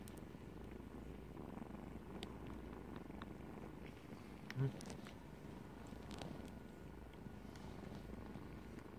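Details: Kittens nursing, a low continuous rumbling purr filling the whole stretch, with faint clicks and rustles and one brief soft thump midway.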